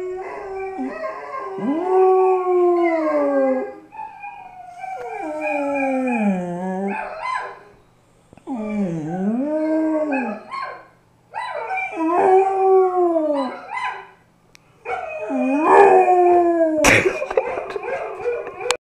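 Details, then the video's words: Pet dog howling while listening to music; five long mournful howls, each sliding down then rising, separated by short pauses, with a sharp clatter near the end. "Howling Dog"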